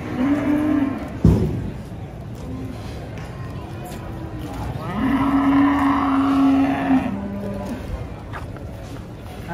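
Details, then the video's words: Rampaging cow coming down from a truck gives two long, flat, low moos, one at the start and one midway, separated by a sharp bang, with people talking and engine noise behind. "SAPI LUCU NGAMUK TURUN DARI TRUK"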